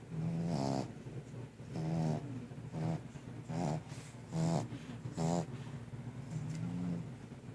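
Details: Sleeping puppy snoring, steady buzzy low snores repeated roughly every second, about seven in all, each carrying a wavering whistly overtone.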